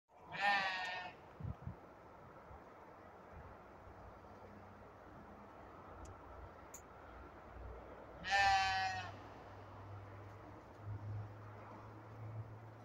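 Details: Sheep at a ranch where a ram and a goat clash over dominance; two loud, quavering, harmonic-rich bleats about eight seconds apart, with a low steady hum and small knocks between them.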